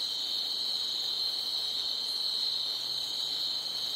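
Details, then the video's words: Night crickets in a loud, steady, high shrill trill, the rapid chirps merging into one continuous ringing tone. "Night Ambience Crickets Chirping Loudly"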